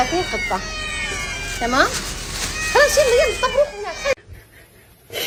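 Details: Domestic cat from a comedy cat compilation, with two clear meows: a bending, upward-sweeping cry followed by a wavering, drawn-out one. Human voices talk over the calls before the sound cuts to near silence.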